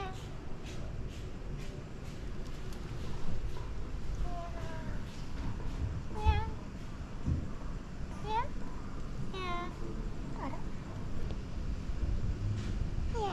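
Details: Meowing domestic cat greeting a returning guest at an inn in Beppu, Ōita, Japan: quiet talk and rustling early, then six or so short, bright meows, some rising and some falling, spaced one to two seconds apart.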